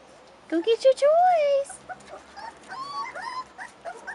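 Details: Rottweiler puppies, 4.5 weeks old, outside for the first time: a few short yips, then one long whine that rises and falls, followed by softer broken whimpers, with a person talking.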